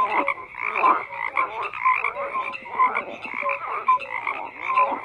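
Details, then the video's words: Group of frogs croaking, a rasping chorus punctuated by a clear short tonal note repeated about once a second, rhythmic swells between quieter gaps. "FROGS CROAKING"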